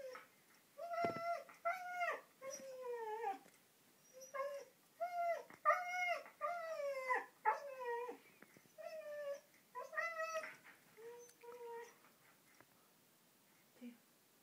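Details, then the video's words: Excited and eager for a walk, 15-month-old Siberian Husky Diego makes a quiet, chattering run of about a dozen short whines. Each rises and falls in a yodel-like way, with brief pauses between them. "Siberian Husky talking"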